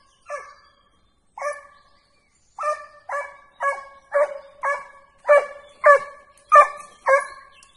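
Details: Segugio hound being trained on hare: clear, ringing bays, sparse at first and then coming in a steady run of about ten cries, each a short tonal yelp with rich overtones, over a quiet background.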